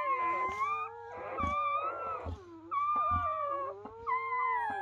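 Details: German Shepherd pups just born to Betty during an evening labour give drawn-out, sliding whines that bend up and down, several overlapping, broken by brief soft thumps and rustling.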